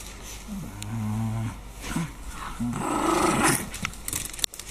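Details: Maltese dogs Teddy and Leo at play together indoors: drawn-out, throaty growls with a harmonic ring, a longer one followed by shorter rising grumbles, amid scuffling and faint household noise.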